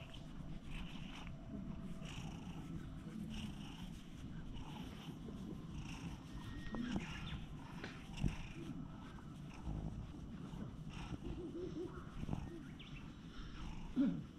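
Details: Stray cat lounging on a stone bench while stroked with a cat brush, filmed on a GoPro HERO8; a continuous low rumbling purr runs throughout, with soft brushing and handling rustles and a few louder thumps.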